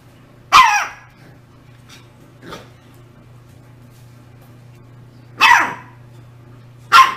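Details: Barks of a Shiba Inu: a loud single bark, a faint quieter yelp, then two more sharp barks spaced irregularly, over a constant low electrical hum.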